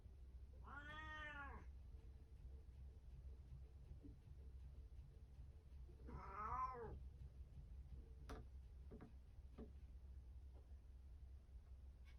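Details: Pet cat on a cat tower indoors, recorded 17 April 2024, gives two separate drawn-out meows about five seconds apart, with faint knocks and a low steady hum in the background.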